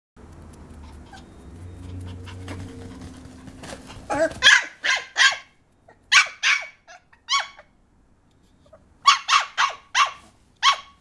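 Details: Papillon puppy named Taro giving sharp, high yapping barks: a quick burst of about five after a low rumbling opening, a single bark, then another run of five or six closely spaced yaps near the end.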